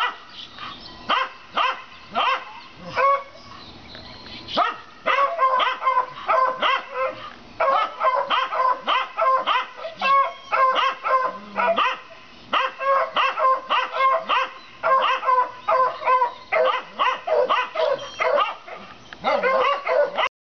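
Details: Dogs next door bark at their rabbit on 7 April 2014, something heard every day; a short scattered start, then long runs of quick, clustered barks from multiple dogs with only brief gaps.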